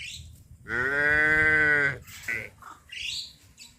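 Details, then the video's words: Tame village cattle walking to a green grass grazing field in the morning; one steady, drawn-out moo lasting over a second, followed by softer clatter and faint rural background sounds. "Suara sapi lembu lucu berlarian menuju ladang gembala rumput hijau"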